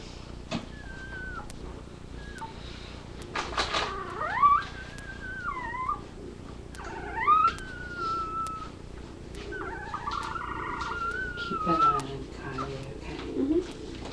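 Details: Labrador retriever puppies on a live puppy cam, giving scattered thin whines and yelps that slide up and down, several rising sharply then falling, with pauses and low background rumble between.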